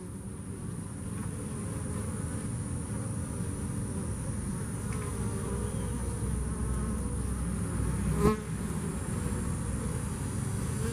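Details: Continuous deep hum from bees that survived Hurricane Harvey, thick and slightly pulsing, with a brief tapping sound near the end over a constant high hiss.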